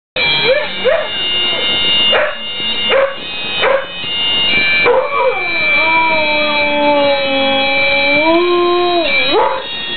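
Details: Husky singing along to Flower of Scotland: a few short yips and yelps, then a long wavering howl that dips and rises. Steady droning bagpipe-like music plays throughout.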